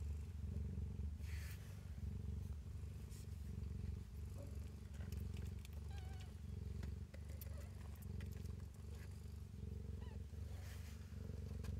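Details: Nursing kittens at their mother inside a cabinet while she purrs; a loud, even, low purr throbs without pause, with small rustling and suckling noises on top.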